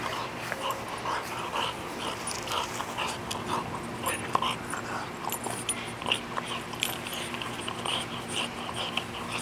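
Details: Biscuit, a 20-month-old pet dog, gnaws on a stick from a lightning-struck tree. Crunching, snapping bites and wet chewing clicks follow one another in quick, uneven bursts, with an occasional faint snort.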